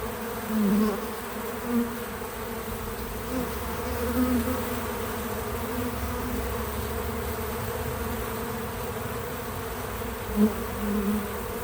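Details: Several bees at a feeder make a continuous low buzzing drone, with individual insects swelling louder as they pass close, around the first second and again near the tenth, over a constant steady hum.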